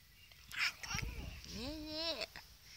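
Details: Male Russian Blue cat, grumpy and annoyed, on antibiotics and possibly in pain, gives a short cry and then a long drawn-out meow that rises, holds and falls, over faint background noise.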